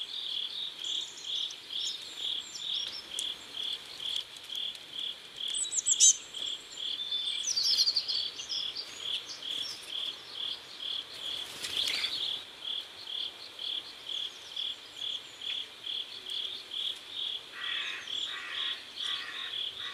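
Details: Crickets by a river at sunset in South Korea chirp in a fast, even high-pitched series, with occasional bird twitters, a short rustle midway, and a lower pulsed buzzing caller near the end.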